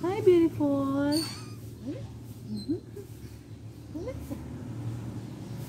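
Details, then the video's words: A pet cat indoors gives a loud, clear meow that rises and then falls, followed by a drawn-out second meow. Soft, fainter calls follow, with a steady low hum in the room. "Meow meow meow"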